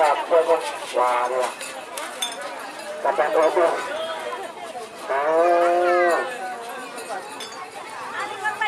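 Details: Cattle at the karapan sapi bull race final at Asemanis field, Pamekasan, Madura, East Java, Indonesia: several drawn-out moos and bellows in bursts, with crowd chatter and clinking.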